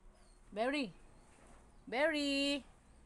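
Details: Siberian Husky arguing, giving two drawn-out, harmonic, talking-like vocalizations: a short rising-falling whine, then after a pause a longer, steadier moaning call, with a quiet background between them.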